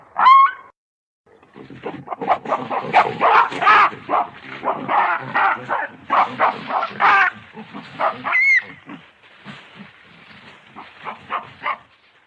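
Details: Baboon giving a long run of harsh, pulsed grunting barks in rapid bursts, loud and rasping, with a thin high squealing note at the start and another brief squeal about two-thirds through.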